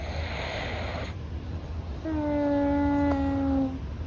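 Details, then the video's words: Louis, a rescued Russian Blue cat a month into his new home, breathes while asleep with a slightly stuffy nose. A brief soft rush of breath gives way to a steady, faintly falling nasal whistle lasting over a second. "猫の寝息。-Sleeper's breathing of the cat-"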